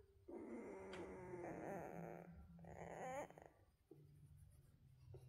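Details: Whining from Central Asian Shepherd puppies fills the first three seconds in two strained, harmonic bursts, the second rising and bending at its end. A few faint squeaks follow in a quiet room.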